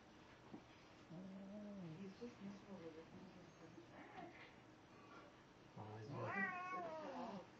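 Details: Domestic cat, described as forever tormented, giving dramatic drawn-out cries indoors: wavering harmonic wails around one second into the clip, then a louder rising and falling yowl near the end, with a person speaking quietly underneath.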